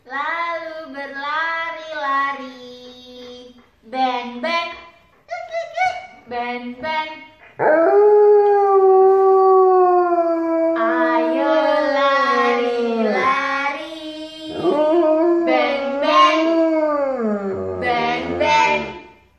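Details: A male Alaskan Malamute howls along as backing vocals to people singing, in long, wavering, rising and falling tones with short yips between phrases.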